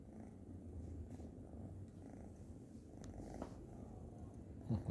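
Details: Orange kitten asleep on a lap, snoring while purring: steady low rumbling purr throughout, even and continuous, with a brief louder breath near the end in a quiet room.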